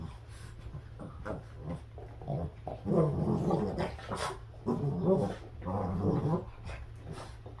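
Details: Boston Terriers in a tug of war game indoors, growling in rapid raspy pulses, louder rumbling stretches broken by brief breaths and pants, over a constant low hum.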